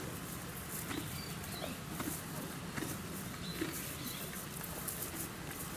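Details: Donkey at Yuki Park Zoo in Kofu, Japan, munching feed: crisp grinding bites recur in an even rhythm, while thin bird chirps flick in and a low outdoor murmur continues.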